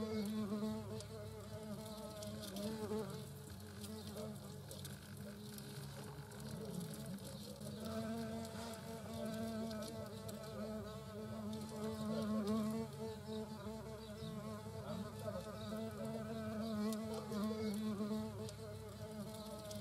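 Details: European hornets, a queen with workers, at their nest during 2022: long stretch of humming flight buzz from multiple insects, tones sliding and overlapping, swelling louder in bursts every few seconds, with soft tapping and crackle underneath.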